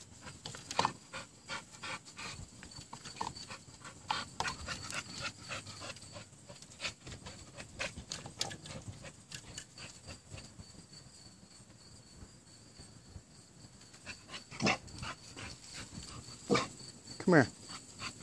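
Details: Nine-month-old female American Bully playing with a rope, panting in quick breathy bursts amid sharp tugging clicks and thuds, with a person's voice urging her on now and then.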